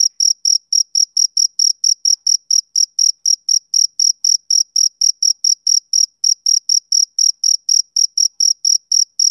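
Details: Male cricket chirping as on summer evenings, a long unlooped background recording: clean high-pitched chirps pulsing steadily about four times a second, each with a fainter higher overtone, and no other sounds.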